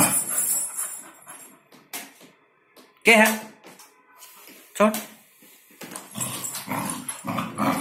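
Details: Nikki, a black Labrador Retriever, playing with a plastic ball indoors; two sharp harmonic barks stand out near the middle, with a woman's voice giving commands in Hindi before and between them.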